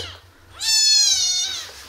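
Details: Tiny abandoned kitten rescued from a street box gives one loud, high, drawn-out meow that rises then levels off, bright and harmonic, after a faint earlier cry.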